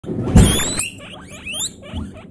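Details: Guinea pigs screaming loudly: a harsh broadband shriek, then a quick run of short high squeaky chirps that rise and fall, several in close succession.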